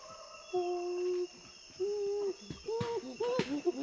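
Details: In West Africa's Tai Forest, a chimpanzee gives feeding grunts: two drawn-out level tonal grunts, then quicker arched grunts and breathy pants close together, over a faint background hum.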